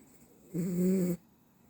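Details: Sleeping Dachshund giving a single low, droning snore lasting about half a second, with a steady humming tone, framed by near silence before and after.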